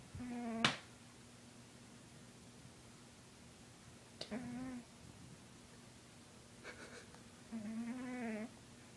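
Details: Lucifer, a heavy 20-pound house cat, gives short, nasal, tonal snores spaced several seconds apart, with a sharp click near the start and a faint click midway.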